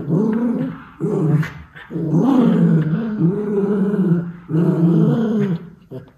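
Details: Playing white Miniature Schnauzer brothers in Aroostook County, Maine, October 2021: deep sustained growls lasting one to two seconds each, wavering in pitch, separated by brief pauses with faint clicks and scuffles.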